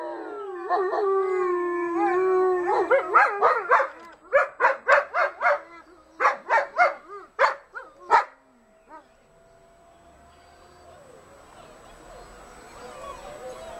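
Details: Mother dogs howl along with a quieter noon siren on the first Monday of the month as their unsettled pups seek their den; layered sliding howls give way to a rapid run of short yips, then fade into soft hiss.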